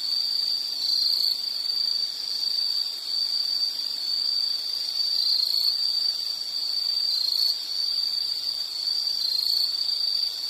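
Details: An unbroken, piercing high insect trill, gently swelling and fading, heard in a nature soundscape meant for study or sleep, with faint low background noise.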